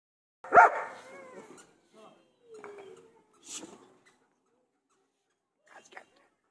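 A German Shepherd gives one loud, sharp bark, followed by softer whining sounds and a person speaking.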